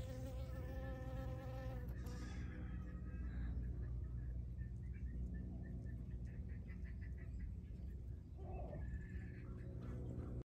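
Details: A western honey bee on a crocus flower gives a steady low wing buzz, with a few faint bird chirps.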